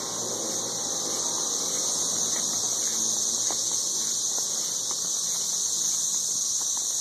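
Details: 13-year periodical cicadas in Nashville, Tennessee, massed up in the trees, making an intense continuous shrill hiss that holds level throughout with no breaks, a few faint low thumps beneath.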